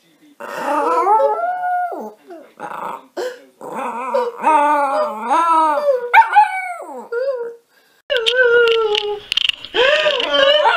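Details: Pet Yorkshire Terrier singing on request indoors: drawn-out, wavering howls in a series of rising and falling whining tones with several short breaks. A woman's voice sometimes speaks softly between the howls.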